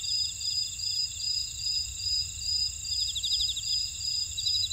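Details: Chorus of field insects in a buckwheat field in Ora-dong, Jeju, South Korea; overlapping high-pitched steady trills with a regular pulsing chirp train, brief rapid ticking bursts near the end, and a low murmur of background noise.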